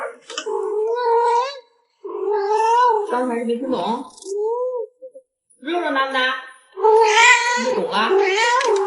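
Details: Pet cat indoors giving a string of drawn-out, wavering meows in several bursts, some rising then sliding down, with a human voice talking over parts of the sequence in a small room.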